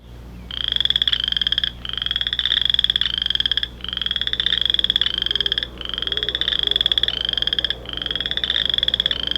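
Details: A male boreal chorus frog in Illinois gives rapid, rising, pulsed trills, each about a second long, like a fingernail run along comb teeth.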